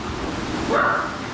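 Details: At a grooming salon, a Miniature Schnauzer gives one quick, high yipping bark over a steady rushing hiss; it has seen another dog and wants out to play, so the bark is friendly, not aggressive.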